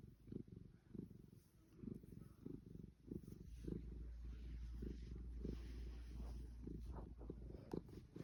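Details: A Savannah cat purring while being fussed and petted at length: low, steady rumbling purr with soft pulses about every half second, rising and falling with each breath, with faint rustling.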